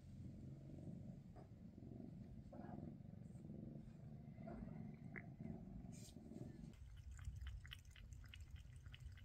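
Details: Mama Freya, a Maine Coon mother, with her kittens shortly before they leave for new homes; a continuous deep purr throbs underneath, with light taps and rustles and a sharper knock near the end.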